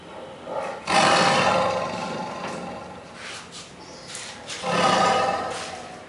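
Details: Krishna the tiger lets out two heavy, gravelly roars about four seconds apart, each swelling quickly and trailing off into a hoarse rumble, with a softer grumble between them.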